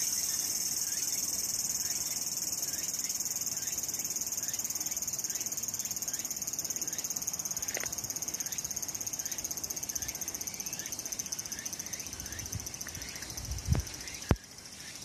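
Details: Cicadas singing on a summer day at Sakurazawa, Yorii, Saitama, Japan, with mountain views: continuous high, pulsing buzz with faint repeated upward chirps, then a few sharp knocks and a low thump near the end.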